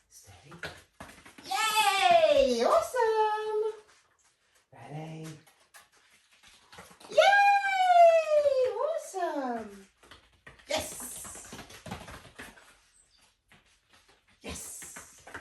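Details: Whippet during a training session of send-arounds at a barrel and bowl progressions, indoors: two loud drawn-out calls that rise briefly, then slide downward with rich overtones, separated by quieter thumps and a short low vocal sound.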